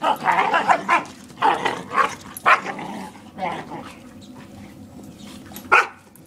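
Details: Protective barking from a Borador guarding its owner against a playful German Shepherd; a quick cluster of barks early on, then a pause and one final loud bark, with a person's voice calling out.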